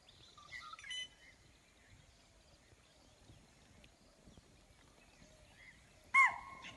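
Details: Wild spotted deer in Tadoba Andhari Tiger Reserve at Pandharpauni, morning of 9 November 2017, alarming at a sensed predator like a tiger or leopard: a single piercing, abrupt bark-like shriek, preceded by quiet bird chirps.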